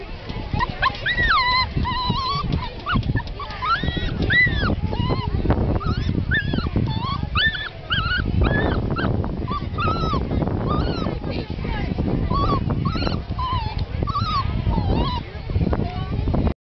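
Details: Very anxious Toy Fox Terrier and Poodle hybrid dog, whining in thin, high, arching tones that rise and fall, repeated many times in quick succession over a low rumbling background.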